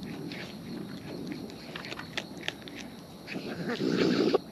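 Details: Raccoons in the wild chewing food up close, soft wet mastication with light clicks, ending in a louder, denser grinding and smacking burst.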